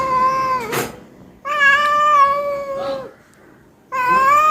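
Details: Pet cat meowing indoors soon after being fed: long, drawn-out, tonal meows with a steady pitch, a slight rise and rich overtones. Three meows are separated by short gaps, with a brief click between the first two.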